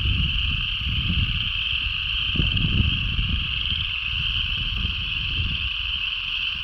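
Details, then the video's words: Frogs singing as a dense, unbroken chorus: a steady high-pitched drone that holds level for the whole stretch without clear gaps or separate calls, over a heavy low rumble like wind or a distant engine. "Frogs Singing"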